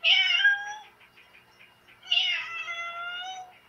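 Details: A pet domestic cat, coaxed by its owner to speak indoors, gives two drawn-out meows with clear stacked harmonics, the second rising then slowly falling, separated by a pause with faint rhythmic background ticking.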